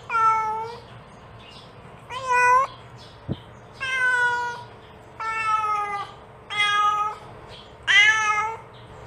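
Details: Mother cat calling her kittens: six harmonic meows, each about half a second, steady or slightly rising, spaced roughly every one and a half seconds, with a single sharp click between the second and third calls.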